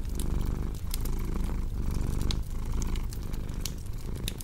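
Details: Domestic cat purring beside a cozy crackling fireplace, a relaxation mix for deep sleep: a low, steady rumble swelling and easing with each breath, under sharp scattered pops and crackles from the fire.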